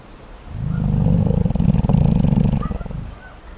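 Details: A sleeping koala snores: a deep, rattling, pulsed rumble that swells over about two seconds and then fades, with rapid throbbing pulses throughout.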